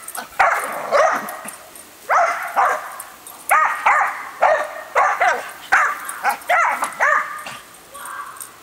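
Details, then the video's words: Female dog, normally calm and rarely barking, barking excitedly at a hose sprayer while the garden is watered: loud, harmonic, yelping barks in bursts of two or three, roughly every second, with faint background noise. "Dog Goes Crazy with the Hose Sprayer"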